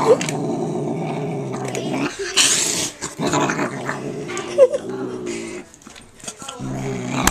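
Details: Pet cat, male, growling as he eats in a small room: a rough, low, sustained rumble broken by brief pauses and clatter, with a short human voice and a faint high squeak mixed in.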